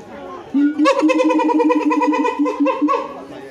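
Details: A siamang at Higashiyama Zoo gives a loud, sustained, human-like scream with a strong wavering tone that pulses rapidly.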